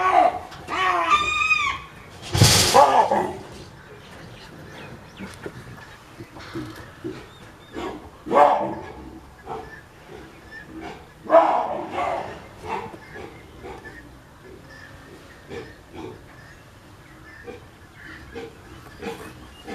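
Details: Captive baboons fighting, giving harsh, ragged screams and dog-like barks in loud bursts with quieter stretches; a male chases everyone, possibly unsatisfied after eating (the person speaking in the background suspects); person speaks in background.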